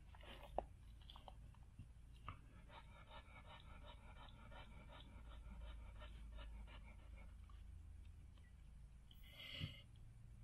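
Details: Gabbana, a Standard Poodle in labor delivering seven puppies, pants steadily in a small room; even, fast breathy pulses run for several seconds, with a sharp click near the start and a louder rustle near the end.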